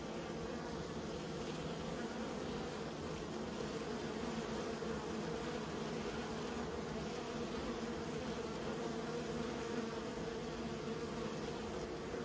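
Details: Honey bees being kept by a beekeeper, a steady dense buzzing hum of many bees throughout, even and continuous with no breaks.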